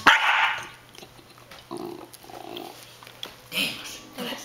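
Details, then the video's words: A 15-week-old male Belgian Tervuren puppy growls at other dogs to guard his food; a sharp opening burst is followed by two low, rumbling growls in the middle and another short burst near the end. "Don't touch my food"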